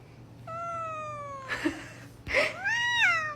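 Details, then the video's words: Indoor cat 'talking' with two drawn-out, tonal meows, the first slowly falling and the second rising then dipping, separated by a short burst of noise, with faint room hum underneath. "Ranking Cat Talking Moments"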